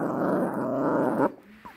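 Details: Toto, a dog protecting a beef rib, gives a sustained rumbling growl for over a second that cuts off abruptly, followed by quiet room sounds.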